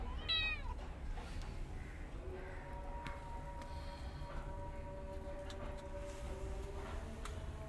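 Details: Mother cat with her kittens; a short, high rising-falling meow near the start, then a steady low hum and faint background sounds.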